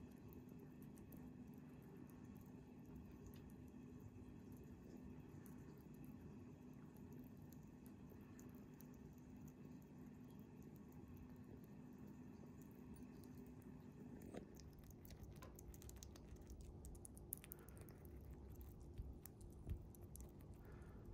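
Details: Bikke, a pet chipmunk, eating its favourite small-animal jelly indoors: a soft low hum at first, then rapid irregular squishy smacking and clicking chews through the second half.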